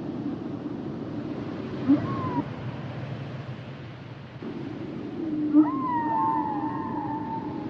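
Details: Humpback whale sounds underwater: a brief falling whistle, then after a pause a longer wavering high tone that slowly drifts down, over a low steady background hum.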